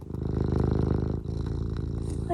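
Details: Eric, a pet cat, gives a loud, close, low purr with quick throbbing pulses that break once for a breath.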